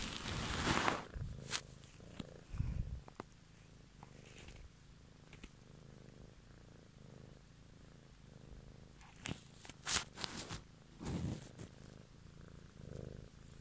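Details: Domestic cat purring in a close ASMR recording made one evening; a soft steady low rumble runs throughout, broken by crackling handling noises and brief rustling bursts near the start, around ten seconds and eleven seconds.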